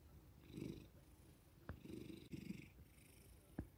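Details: Quiet, low purring from a male house cat enjoying petting after being woken, coming in short rumbling pulses with light handling noises and a couple of sharp taps.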